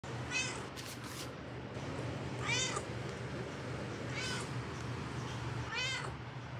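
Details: Domestic cat meowing four times, short rising-falling mews spaced about one and a half seconds apart, over a steady low electrical hum and faint room noise.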